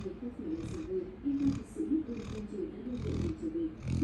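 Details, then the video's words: Sleeping Labrador Retriever snoring: low, rumbling, slightly wheezy breaths with a faint hum, broken by soft airy hissing bursts roughly every second, in a quiet room. "A snoring Labrador is here!"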